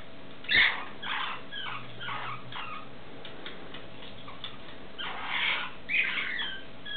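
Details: A stone marten pup gives high, squeaky begging calls in quick bursts while being fed.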